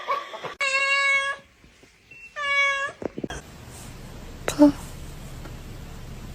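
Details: Indoor house cat gives two clear, loud, high meows, each under a second with a steady harmonic tone and a second-long gap between them, then a soft hiss of background noise and a brief knock.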